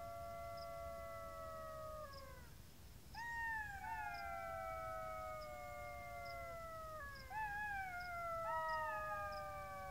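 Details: Golden jackal howling: long, clear, slowly falling wails, the first drawn out over two seconds, joined by overlapping voices in a chorus, with faint regular ticking in the background.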